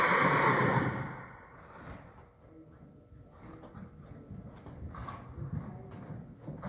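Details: A Thoroughbred mare gives a loud, shaky whinny that fades within the first second. Quieter hoof clip-clops and shuffling follow for the rest of the recording.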